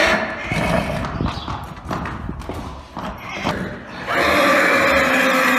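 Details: Arabian horse neighing: a shaky, noisy opening with thumping sounds, then from about four seconds a loud, sustained, strained whinny with rich layered tones that holds to the end.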